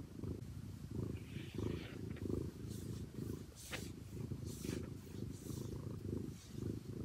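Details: Domestic cat purring close up, a steady low rumbling throb pulsing roughly twice a second with a few soft clicks and rustles over it.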